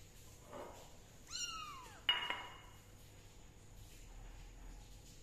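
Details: Kitten being treated for fungus with leaf juice lets out one clear, high meow that slides downward over about half a second, followed at once by a sharp metallic clink, then quiet room noise.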